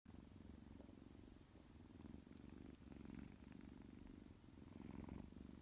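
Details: Tuxie, a male tuxedo kitten, purrs loudly while waking from his nap: a steady low rumble pulsing in rapid, even beats, swelling slightly around three and five seconds, with faint rustles above.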